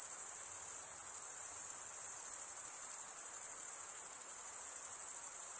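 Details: Cricket stridulation forms a constant, piercing high trill, finely pulsed and barely varying in level across the whole stretch, with a faint low hiss.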